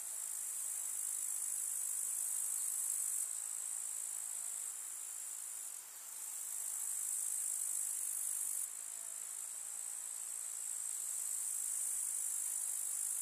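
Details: Grasshoppers chirping in a summer meadow with wildflowers in the countryside: a dense, steady, high-pitched hissing trill that runs without pause, with slight shifts in loudness and no other clear sounds.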